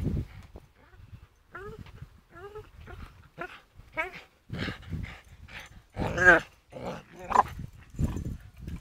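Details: Staffordshire Bull Terrier swinging on a rope, giving short, strained, whining vocalisations in rising harmonic bursts, several in quick succession, then louder grunting sounds mixed with people talking nearby.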